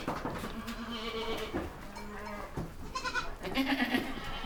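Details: Baby goats giving short, quavering bleats in several separate bursts, some low-pitched and some higher and brighter, over a steady background hiss with scattered knocks.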